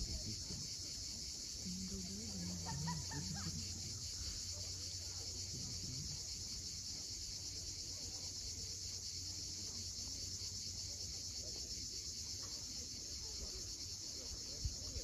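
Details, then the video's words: At sunset on the Crimean coast at Cape Fiolent, cicadas keep up a continuous shrill buzz, while low murmuring voice-like sounds briefly rise early on and the surf rumbles faintly below. "Cicadas at sunset."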